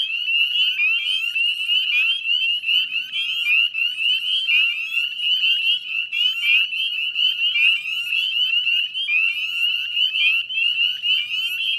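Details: Massed spring peeper chorus from wetlands at West Chezzetcook, Nova Scotia, Canada, recorded at dusk on 18 May 2020; piercing, sharply rising whistled peeps pile over one another without pause in a continuous high ringing.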